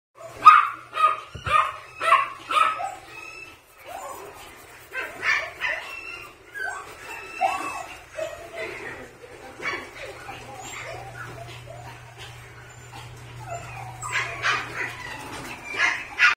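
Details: Male Mame Shiba puppy, a breeder's dog, giving a run of sharp high yips and barks, about five quick in a row at the start, then scattered squeaky yelps and whines with short gaps, a faint low hum underneath.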